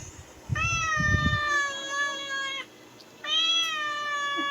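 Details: Two long, level meows from a pet cat in the Philippines, each around two seconds with a short pause between, preceded by low bumping sounds.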